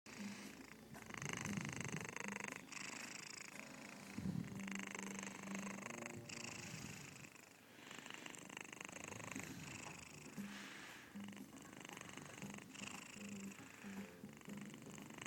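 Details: Domestic cat Nrml, a female, asleep on a person's chest indoors with her mouth wide open, purring and snoring at once: a steady, loud, low rumbling purr in quick rhythmic pulses, with faint human voices in the background.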